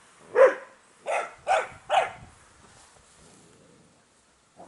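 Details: Four quick, bright barks in a row from Airedale Terrier puppies of a litter at day 47, roughly half a second apart, then a pause and the start of another bark.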